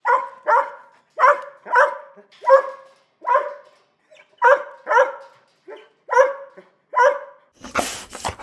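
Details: Dog barking in a steady run of about thirteen sharp, harmonic barks, each short and evenly spaced, ending in a burst of broad noise.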